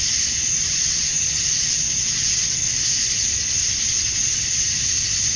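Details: Summer-dusk chorus of male cicadas in Georgia, USA, singing to draw females: one unbroken, shimmering high buzz holding level throughout, over a soft low background murmur.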